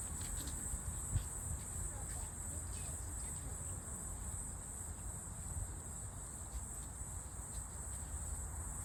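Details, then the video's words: Walker's cicada, a cicada that still sings in autumn, outdoors: a steady, high, unbroken buzzing drone holds for the whole stretch over low rumbling background noise, with an occasional faint thump. "가을에도 우는 매미가 있다?"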